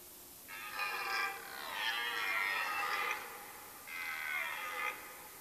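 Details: Roaring red deer stag during the autumn rut in a Mecklenburg-Vorpommern forest, Germany, late September. It gives two long, strained, harmonic bellows and then a shorter third one, with little other sound.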